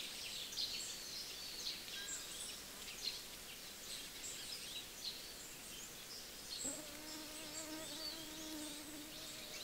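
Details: Several honey bees feeding at breakfast time. Birds twitter and chirp busily at high pitch, then a steady low humming buzz with layered tones rises in the last three seconds and holds to the end.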